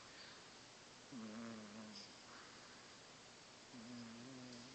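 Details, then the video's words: A sleeping domestic cat snoring loudly: two drawn-out, buzzy, even-pitched snores of about a second each, separated by a quieter pause, over a low steady room hiss. "Snoring cat"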